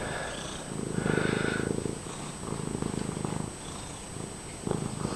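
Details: Domestic cat purring very loudly while friendly and being petted: dense, steady low rumble with fine rapid pulsing, rising and falling in strength through the clip, faint household voices in the background.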